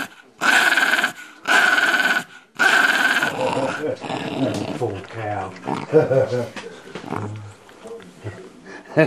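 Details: Female West Highland White Terrier lying on her back for a tummy rub, giving three loud, rasping growl bursts, then quieter grumbles as a person talks over her.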